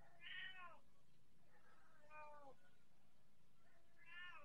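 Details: Persian cat meowing softly three times, short falling mews spaced about two seconds apart over low background hum.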